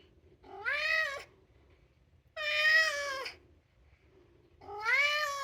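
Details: Two-year-old male polydactyl Maine Coon, a house cat asking to go outside, gives three long harmonic meows about two seconds apart, each rising then falling slightly, with quiet room hum between calls.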